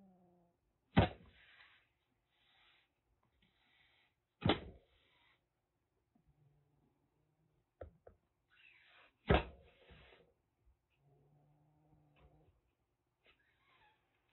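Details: Threatening hisses from a caged rescued calico kitten around six weeks old, taken in from Kagoshima, Japan, before a typhoon: three sudden harsh spits with short rasping tails, several seconds apart, with soft shuffling and clicks between.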